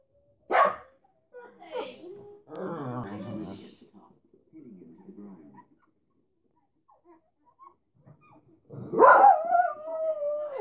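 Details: A pug watching TV gives a sharp single bark, then later a drawn-out, wavering whine that slides downward.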